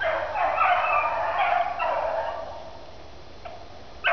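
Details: Dogs Daisy and Blue running in a swamp; drawn-out, bayed barks run together over the first two and a half seconds, followed by a quieter stretch and a sharp sound at the very end.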